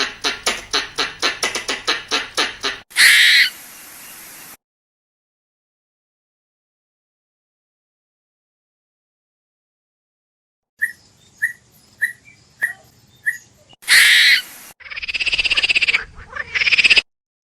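A squirrel gives rapid, repeated chattering chips followed by harsh, raspy buzzing bursts.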